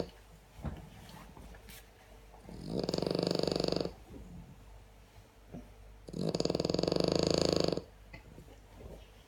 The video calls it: French Bulldog Snoring ....